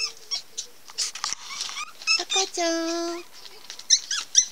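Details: Pomeranian puppies at a Pomeranian kennel give high, squeaky whimpers and one longer, steady nasal whine.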